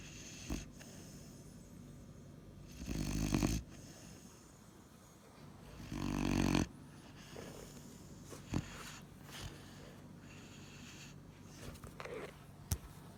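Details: A Weimaraner puppy (Canis lupus familiaris) sleeps and snores in low, rasping breaths, roughly every three seconds.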